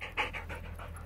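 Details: Rapid panting from a Border Collie at fetch training, about six quick breathy bursts in one second, the second puff loudest, set against a constant low electrical-sounding hum.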